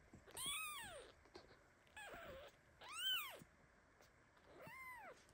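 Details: Kitten meowing loudly in indignation as mother cat Basi lies on top of him while he shakes in his sleep; four thin arched mews about a second apart, each rising and falling, with faint rustles between them.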